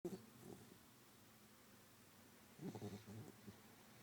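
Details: Sleeping dog snores softly, with two short bursts of low, rattling, pulsed breathing about two seconds apart and quiet stillness between them.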